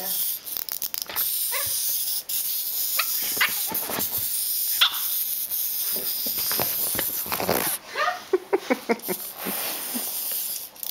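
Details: Four-month-old Boston Terrier puppy Aggie indoors, facing off with a tiny wind-up robot: short high yips and sharp barks come in scattered bursts, clustering near the end, amid clicking and rattling.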